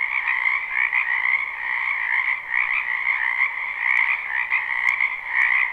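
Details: Numerous frogs calling at a wetland during spring form a constant, buzzy, pulsing wall of croaks. Several sharp clicks stand out near the end.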